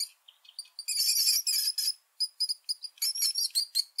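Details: Rat squeaking in a run of short, high, shrill bursts, some drawn out and some clipped, broken by brief silences, with a denser rapid squealing stretch near the start and a chattering series of quick squeaks toward the end.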